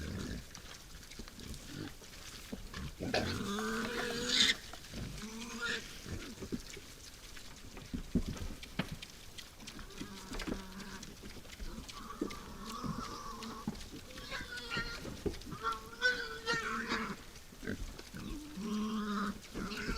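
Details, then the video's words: Wild boars at night at a forest feeding site; low, harmonic grunting squeals in bursts near the start and again mid-clip and near the end, with rustling and scattered clicks between them. "Что делают кабаны ночью?"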